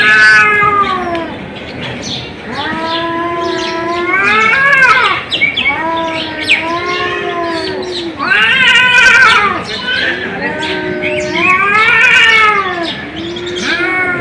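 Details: Cat caterwauling in a series of long, arching, wavering yowls, each rising then falling, roughly one every two seconds, loud and continuous with harsh overtones.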